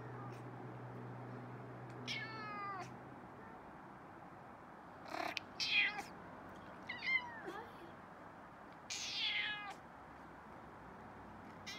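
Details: An upset indoor cat that wants to eat a moth it cannot reach behind a window screen; short, strained meows with a rising-falling shape come in separate bursts a few seconds apart, with a faint hum at the start.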